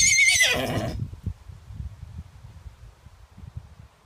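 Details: Fifteen-year-old Miniature Horse stallion playing with a toy: a shrill, harmonic whinny falling in pitch across the first second, then soft low thumps and near quiet.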